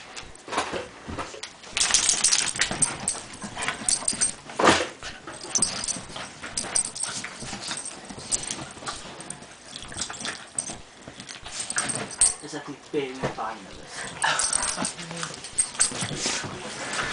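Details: An 18-pound dog whimpers and yips in short, thin, high-pitched bursts, with rustling, scuffling and handling noises throughout.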